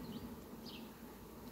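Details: Bees in flight at sunflowers on a farm, 18 July 2021: a short, even, low-pitched buzzing hum with faint high chirps above it.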